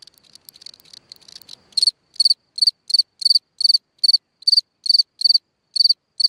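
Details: A cricket chirping at night beside its hole in the ground; soft faint ticking first, then from about two seconds loud high pulsed chirps begin, each a short burst of rapid pulses, repeating roughly every third of a second.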